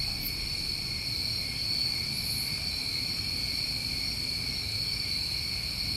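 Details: Crickets recorded in New England summertime form a steady, dense chorus: continuous high ringing trills layered in two bands, with no pauses, plus a faint short higher buzz near the start and low rumble beneath.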